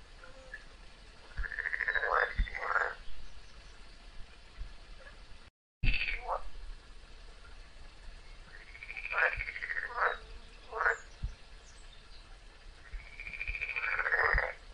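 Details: A frog locked in a long fight with a snake screams in three clusters of arching, wailing bleats, each cluster of two or three cries, separated by pauses, with a brief dropout and scattered low knocks.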